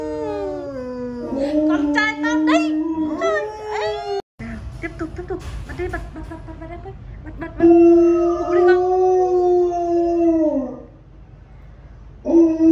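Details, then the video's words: Honey, a pet Alaskan Malamute, howls like a wolf: long harmonic tones that hold steady, then waver, break off briefly, and resume in a sustained howl before a short final rise, with speech and music faintly present. "Mật Hú Như Chó Sói Siêu Ngầu - Trời Ơi My Alaska Dog HONEY Howls Like A Wolf"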